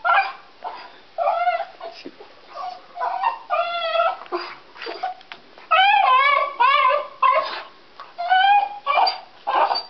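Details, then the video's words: Deaf pet dog crying as he bites a stick he cannot hear himself chew on; a near-continuous run of high, wavering harmonic whimpers and yelping whines, some rising then falling, in short bursts every half second or so. "dog crying on a stock"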